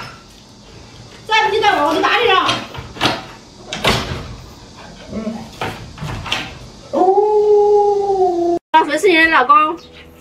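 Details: Luoluo, a pet Alaskan Malamute, reacting to its owner wearing a scary mask: a level, sustained howl near the end, held about a second and a half, preceded by human talking and followed by a brief wavering vocal burst.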